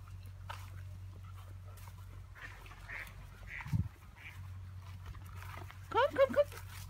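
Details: Ten-week-old Giant Schnauzer puppy on an outing, giving a short burst of high, wavering whining yelps near the end, after people talking and a steady low rumble in the background.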